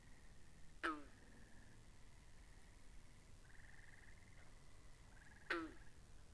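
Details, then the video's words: Frogs by a pond, recorded binaurally: a pair of loud, crackling croaks falling in pitch, one near the start and one near the end, with overlapping high trills running steadily between them. "Two Hours Of Frogs By The Pond"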